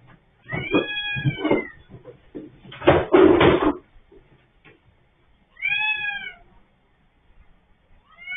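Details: Orange house cat trapped by the head in an automatic litter box, filmed by CCTV: two wavering meows separated by loud knocking and rattling of the machine.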